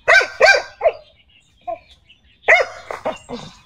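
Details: Pet dog Xiao Mi, happy with today's weather, gives a run of three sharp barks, a soft short yelp, then another burst of barks with quieter follow-up woofs near the end.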